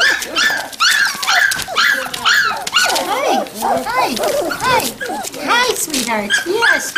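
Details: Standard Poodle puppies at Red Royal Standards near Columbia Falls, Montana, November 22, 2013; a chorus of shrill, bending whimpers and squeaks repeated rapidly, with a woman speaking softly among them.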